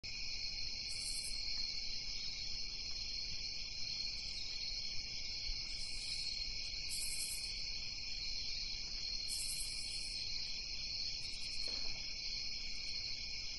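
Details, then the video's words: Crickets at night: a steady, unbroken chorus of high chirping that holds continuously through the recording, with short brighter high-pitched bursts coming in now and then on top of a low background hiss. "Crickets At Night"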